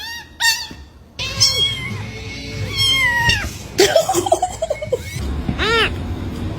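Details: Pet cat meowing in short, wavering, arched calls over background music. Some calls are steady and drawn out, and there is a burst of rapid chattering sounds in the middle.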